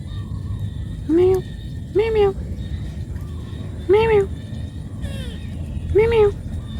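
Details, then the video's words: Cat calling its mother because it needs food: four short, arched, harmonic meows, each rising then falling, spaced about one to two seconds apart over a steady low background rumble. "Cat call mom"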